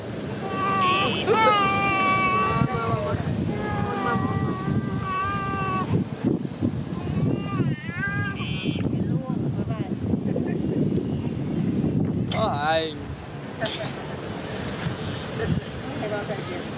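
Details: Motherless young monkey cries in thin, wavering wails, clustered early and returning in short squeals later, while traffic rumble and background voices fill the gaps.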